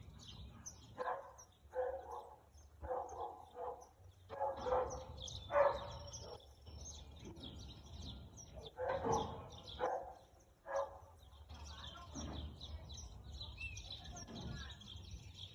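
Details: Husky barking, 4/2/2022, 2:57 pm; a run of repeated hoarse barks roughly every second, pausing midway and then resuming, with birds chirping and twittering throughout and a steady low background rumble.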